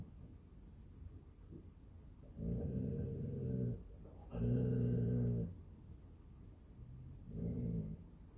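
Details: Basset Hound Lucie watching over her home indoors gives low, throaty growls, two longer rumbles of about a second each followed by a shorter softer one, with quiet breathing between.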